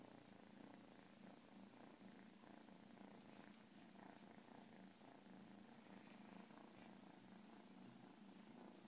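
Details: Domestic cat purring in a steady, continuous low rumble that holds without a break through the whole stretch, with a soft airy hiss layered over it.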